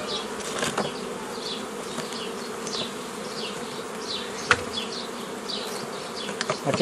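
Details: Buzzing of many honey bees as a beekeeper forms nucleus colonies the traditional way, mid-May 2018; a continuous low hum with scattered clicks and knocks, and repeated thin birdsong chirps in the background.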